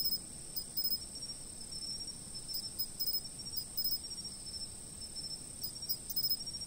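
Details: Insects chirping before a fixed camera: a steady, high, ringing chorus of overlapping shrill tones, broken by faint clusters of quick ticking pulses, over a soft low rumble of outdoor background noise.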